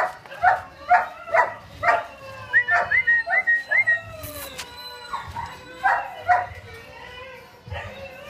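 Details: Two-month-old male and female Bulldog puppies imported from Ukraine: a rapid series of short yelps and high whimpering squeals, several with upward-bending pitch, repeated quickly, with a brief sharp click in the middle.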